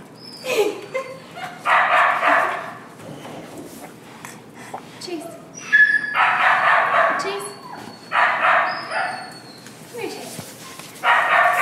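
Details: Kai Ken puppy from a fall 2011 litter giving short high yips and rough, harsh bursts in irregular runs, with people talking in the background.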